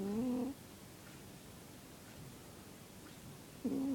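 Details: Snoring of Zebbie the cat, a whistly, humming breath tone fading out at the start, then a long silence before the next tone begins near the end.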